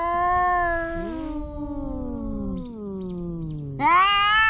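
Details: A domestic cat gives one long, slowly falling, wavering meow lasting several seconds, then a few faint chirp-like notes before a sudden loud new cry begins.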